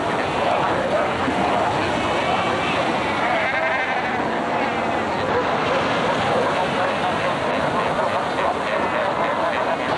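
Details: Crowded Cape fur seal reserve at Cape Cross, Namibia, 1992, with seals sunbathing, fighting and raising pups; a continuous wall of overlapping bleating cries, some quavering calls standing out, over a roaring background.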